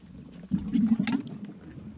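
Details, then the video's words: Camel in the desert, tongue hanging out, making strange noises: a low, bubbling gurgle that swells suddenly and rumbles for under a second before fading into a softer throaty murmur. "Camel Making Strange Sounds With Tongue Out | Crazy Camel Noises in the Desert"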